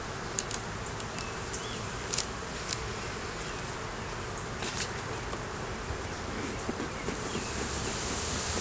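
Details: Honey bees droning during a beeyard hive inspection, a colony that had held no sign of a queen for a month until a laying queen turned up; steady broadband hum with scattered short clicks and knocks, recorded on a Canon Rebel T6 DSLR.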